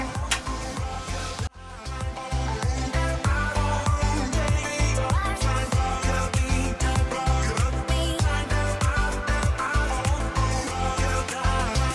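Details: Upbeat Afrobeat-style music with a strong regular bass beat and layered instruments plays throughout a husky grooming routine.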